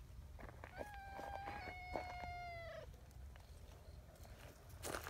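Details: Brown tabby community cat named Nyahha, talkative and seeking affection at an outdoor cat gathering in Japan; one long drawn-out meow, level then slightly falling, over rustling and footsteps.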